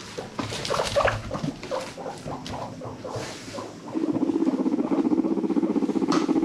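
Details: A pet guinea pig (Cavia porcellus) from a rescued herd gives short squeaky chirps, then a rapid, low, pulsing rumble.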